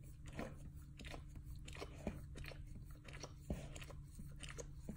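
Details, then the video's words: Dog chewing and licking on a bunghole indoors; wet, crunchy bites and smacking licks come irregularly, several sharp crunches standing out, over a steady low hum. "Dog Chewing and Licking his Bunghole ASMR sounds"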